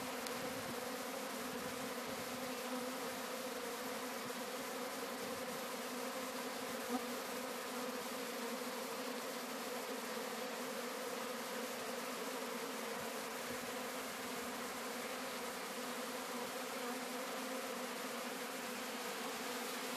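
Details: Sicilian honey bee swarm being collected at Sciacca, producing a sustained, uniform mass buzzing drone with low humming bands and no pauses.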